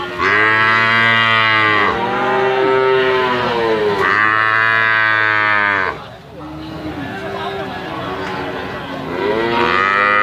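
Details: Limousin calves for sale moo repeatedly: long, rich, harmonic bellows about two seconds each, rising at onset and sliding down at the end, several in a row with a short lull before another call begins.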